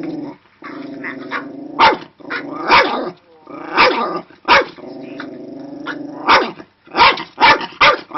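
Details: A female Cairn Terrier, angered while watching a video about a dog, growls steadily, breaking into sharp, high barks every second or so.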